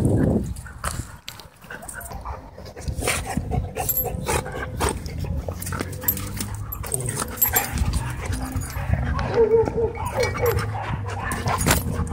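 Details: Husky Shepherd mix at a dog park, playing wildly with other dogs: low harmonic growling in the middle, then short higher whining notes toward the end, over steady scuffling, rustling and handling noise.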